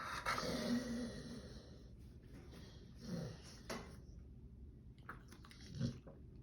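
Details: Bulldog scratching his back, giving a low guttural groan at the start, then quieter grumbles around three and six seconds amid rustling of fur and movement indoors.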